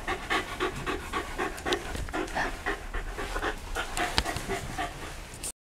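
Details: Pet Shiba Inu recorded at home in Yaizu, Shizuoka Prefecture, Japan, on 28 November 2015 while a pet sitter visits; steady fast panting, several breathy puffs per second throughout, with one sharp click near the end.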